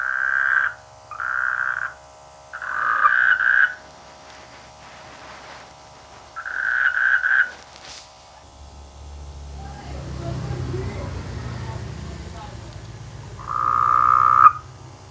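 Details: Frogs croaking in rice fields in the rainy season; a series of short buzzy croaks, then a pause filled with low rumbling background noise before one more rasping croak near the end.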